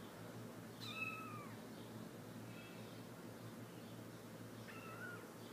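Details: Three-week-old Himalayan kittens, a chocolate male and cream and blue-cream females, give thin rising-then-falling meows, one near the start and another about four seconds later, over a steady low hum.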